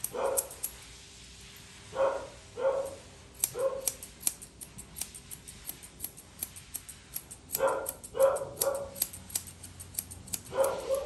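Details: Poodle mix yapping during a grooming session, giving short barks in clusters of two or three, separated by pauses, while scissors snip in quick clicks throughout.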